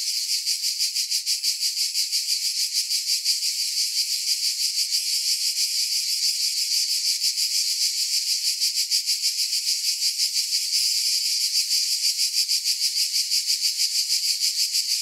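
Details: Cicadas in chorus, a dense high-pitched buzzing that holds steady throughout and pulses softly about three times a second, with no other sounds.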